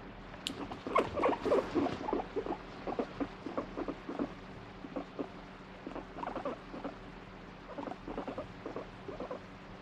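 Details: Guinea pig switching between wanting strokes and rejecting touch: fast irregular series of short pulsed rumbles, strongest in the first two seconds and fading to softer bursts, in a quiet room.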